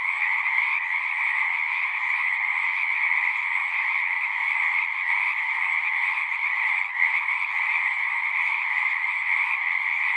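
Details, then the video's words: A constant mass of singing frogs, their rapid trilling calls blending into one even, shimmering drone that holds its pitch throughout, with a brief dip in loudness near the seventh second. "One hour of singing frogs."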